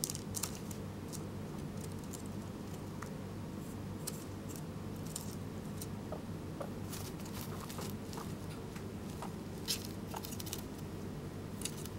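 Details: Small clicks, taps and soft scuffling in a quiet indoor room over a low steady hum, with no calls or squeaks from any animal.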